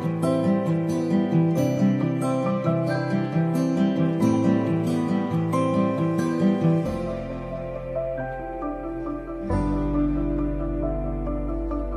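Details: Gentle acoustic guitar music with plucked strings and a sustained low drone in the second half, and no animal sounds heard.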